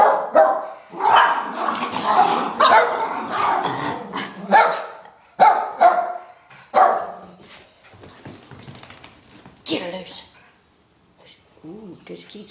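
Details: Two pet dogs, Lucy and Gracie, at play: bursts of excited barking and yapping over the first seconds, then scattered softer yips and rustling, with a human voice briefly audible near the end.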